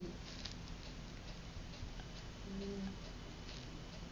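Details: Sleeping puppy giving a single soft, low, tonal snore midway through, over a steady hiss of room noise.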